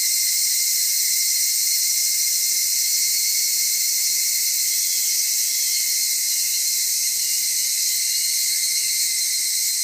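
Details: Evening cicadas calling at Atarashiki-mura village, Japan: a dense, steady, high shimmering buzz with sustained bright tones and no clear breaks throughout.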